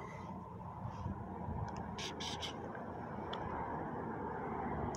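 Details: Steady traffic-like rumble fills the background, with a few short scraping clicks and no animal voice.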